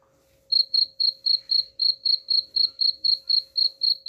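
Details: Cricket chirps used as a rat repellent: after half a second of quiet, bright high-pitched chirps start and repeat rhythmically about four times each second over a soft background hum.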